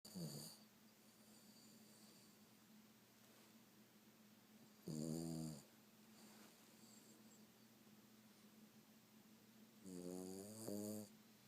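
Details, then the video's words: Boston Terrier dog snoring, three loud rasping snores at about 0.3, 5 and 10.5 seconds, each with buzzy layered harmonics and a high hiss, separated by quiet stretches with a steady low hum indoors. "Snoring Boston Terrier"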